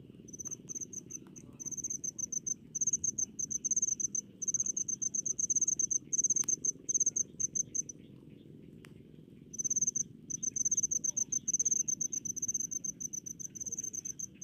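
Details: Cricket in rice fields chirping in bursts of quick, piercing pulses, with a silent stretch of about two seconds midway and a couple of faint clicks over a low hum.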